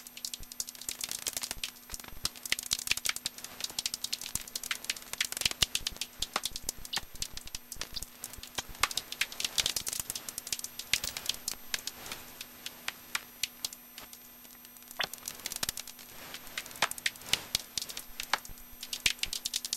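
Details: In Hofholz at 18:30 on 22 November 2012, clear and about 7 degrees, a common noctule sounds as rapid crackling ticks. They bunch into loud rattles around 1, 3, 5, 10 and 17 seconds over a constant low hum, recorded with a Nitemax.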